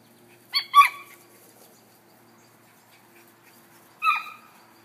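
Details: Italian greyhound Zeus, a sight hound, excited while chasing a toy on a line: two quick high-pitched yelps close together near the start, then a single yelp about three seconds later, over a faint steady low hum.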